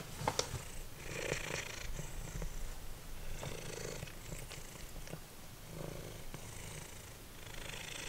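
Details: Simba, a formerly feral domestic cat, purring while eating dried minnows indoors; a steady low rumble in pulsed waves, with crunchy chewing clicks and rustling on top.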